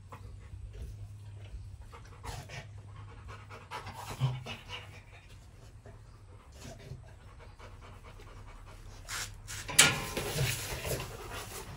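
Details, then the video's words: Rottweiler in a kennel, panting in uneven breathy bursts at about one and a half per second, then a sudden loud clatter near the end over a low hum. "Rottweiler in the Kannel"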